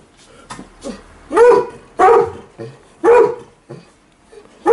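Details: Two house dogs, an Alaskan Malamute and a Golden Retriever, protest in the morning while their owner prepares to go out: loud separate barks about a second apart, between softer whines and short yelps.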